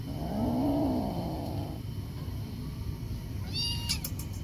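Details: Aggressive feral kitten after rescue, having escaped again. A low rising-and-falling growl lasts about a second and a half, followed by a short high sharp sound near the end over a steady background hum.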